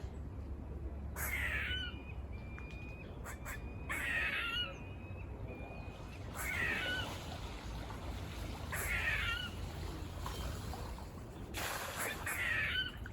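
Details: Several squirrels climbing and running near a farm, barking in rough, buzz-like bursts spaced two to three seconds apart, with faint thin whistles between calls and constant low background rumble.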